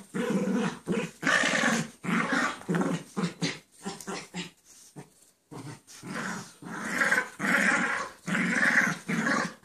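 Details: Two pet dogs, Chance and Sally, playing indoors, with Sally making the noises; rough, breathy growling and grumbling in bursts of one to two seconds, broken by brief pauses, a dense burst at the start and near the end.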